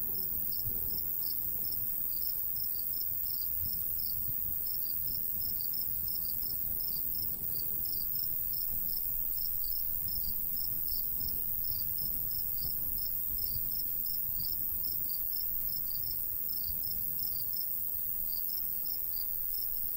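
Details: Summer crickets beside a golden wheat field in the countryside, light breeze; dense run of quick high chirps, briefly pausing near the end, with low wind noise beneath.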